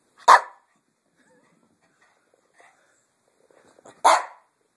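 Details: Pet Chihuahua, indoors, barking when asked to talk: two short, sharp barks about four seconds apart, each a single burst, with quiet in between.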